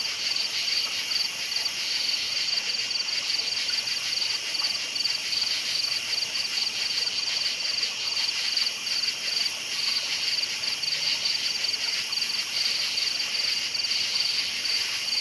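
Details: Nighttime crickets keep up a dense, high, shimmering chirp with quick rhythmic pulses, several insects blending into one continuous chorus.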